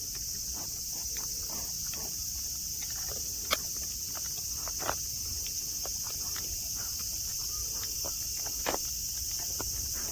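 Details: Nara Park, Japan, green grass and friendly deer under clear sky; cicadas sustain a shrill, even drone while a few louder knocks and steps break through near the start and end.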